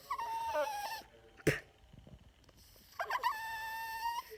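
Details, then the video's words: Yorkshire Terrier, a pet annoyed by air blown in his face, producing two drawn-out, nasal tonal whines separated by a loud thump and a quiet gap; harmonics stacked above a steady pitch. "Yorkie making weird noises"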